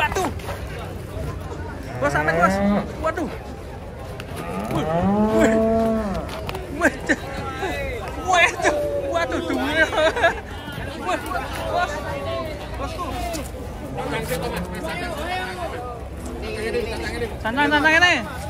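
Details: Giant cattle arrive by truck at Pasar Jelok market; short, low moos recur every few seconds amid a noisy crowd, shouting men and constant clatter.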